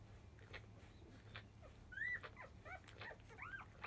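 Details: Five-day-old field-line Labrador Retriever puppies born to biscuit, fussing as nursing begins in early afternoon; scattered thin high squeaks and short rising-falling whines, faint at first, louder near the middle and end, over a steady low hum.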